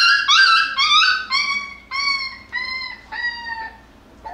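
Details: Young Jackabee pups, a Beagle and Jack Russell mix, crying during play; a series of about eight loud, tonal, whining yelps, each dropping slightly in pitch, spaced roughly half a second apart and fading toward the end.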